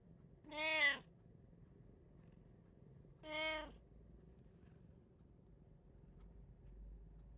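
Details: Pet cat in a Japanese household of three cats, recorded 8 May 2024, uttering two short, bright meows about two and a half seconds apart, followed by several seconds of quiet room noise.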